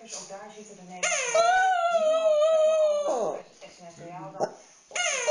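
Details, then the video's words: Dog named Fluffy, crying for fun during play with his stuffed toy, gives a sustained howl-like whine lasting about two seconds, framed by shorter, rougher cries in a small room. "Cute 'Fluffy' crying in choir with his stuffed animal"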